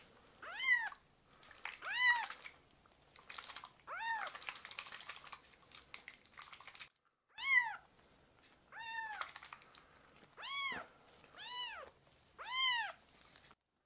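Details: Foster kittens, rescued and bottle-fed, crying to ask for milk indoors; a steady run of about nine clear, arched meows, each rising then dropping, repeating roughly every second or so, with soft rustling and scratching between them.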